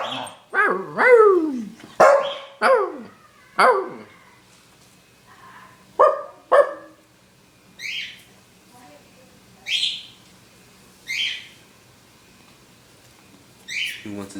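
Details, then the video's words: Scottish Terrier kept as a pet giving weird barks: a run of quick, descending yelping barks in the first four seconds, then two short barks, followed by softer high squeaky yips spaced a couple of seconds apart. "My Scottish Terrier making weird barks sounds"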